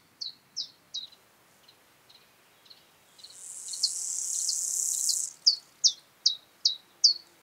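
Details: Chorthippus pullus, the gravel grasshopper, in Taugl, Austria, on 6 July 2019, recorded with a Pettersson D 100 ultrasound detector and noise removal. It gives brief high rasping chirps, repeated steadily, and is interrupted midway by a sustained loud hissing buzz before the chirps resume.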